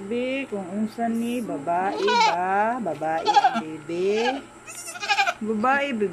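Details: Goat bleats, just after the pet goat gave birth: a rapid run of quavering, nasal calls, some rising then falling, overlapping almost continuously for six seconds, possibly mixed with human voices.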